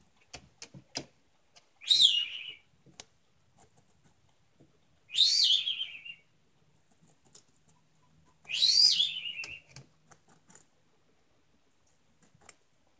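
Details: Pet guinea pig named Remy, a male who holds larger food with one paw while eating, indoors; three loud high squeals, each sweeping down from high to mid pitch, about three seconds apart, with small clicks and rustles between.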